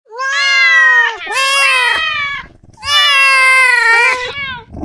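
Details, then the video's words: Domestic cat giving two long, loud meows: the first drawn out and slightly falling, the second rising then sliding down, with a brief quiet gap between them. "ENDURE CRAZY Cat Meows"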